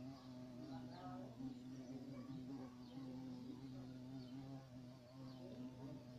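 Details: Violet carpenter bee (Xylocopa violacea), a large black bee, giving a steady low droning hum with a rich layered tone that holds an even pitch for about six seconds, faint and continuous, with no other clear sounds.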